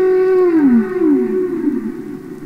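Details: Humpback whale singing underwater, from a classic recording of real whales: a tonal note near 400 falling smoothly to a lower moan, then two more short descending swoops, rich overtones above.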